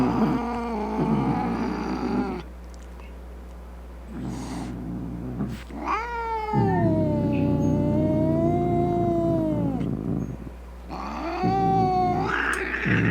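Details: Aggressive cat caterwauling to frighten off rats, opossums and other cats; short growled yowls, then a five-second rising-and-falling wail, then another harsh cry, all over a constant low background hum.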